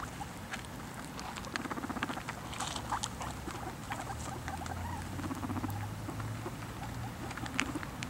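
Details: Guinea pigs eating food: dense crunchy chewing and rapid clicking nibbles throughout, with irregular sharp crackles over a steady low background hum.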